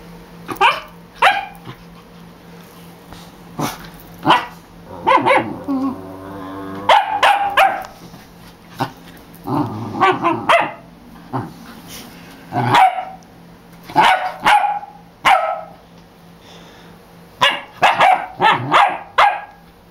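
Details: Dog named Scarlet barking wildly while being taunted; sharp, loud barks come in irregular bursts, some clustered rapidly, with brief growly passages between them and a steady low hum underneath.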